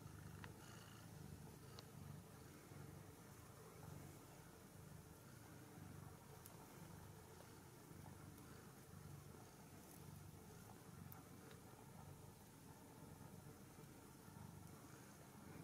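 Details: Ragdoll kittens and their mother, kept uncaged in a central Kansas home cattery, settle down at night with a continuous low, rumbling purr that runs the whole stretch, and a few faint clicks over it.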